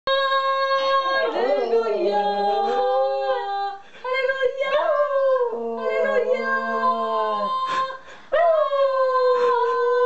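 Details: Pet Schnauzer indoors howls along as a woman practises singing Hallelujah; long wavering tonal howls rise and fall, overlapping with her voice, with brief pauses between phrases.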